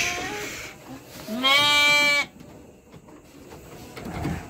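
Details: Three-month-old Garut lamb being shipped to Purwakarta, Indonesia, gives one loud, nasal, quavering bleat lasting about a second. A fainter bleat comes just before it, with rustling and low background noise around them.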